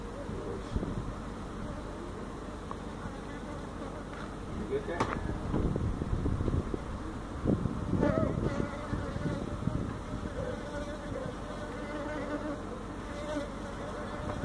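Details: Feral honey bees from a hive built inside a tractor tire, in a tire stack at a citrus orchard in Mission, Texas, being removed: a dense low droning hum with scattered knocks and thumps throughout.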